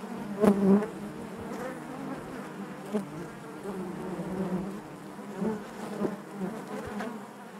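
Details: Honey bees droning in their hive: an even, low-pitched buzz of the whole colony, with a loud close buzz early on and softer swells and ticks afterward.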